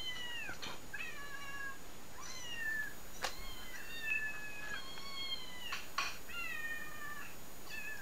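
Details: Meowing cats from a compilation played back to a watching house cat; dense run of bright, harmonic meows, many gliding downward, some short and chirpy, packed closely with brief clicks and knocks between them.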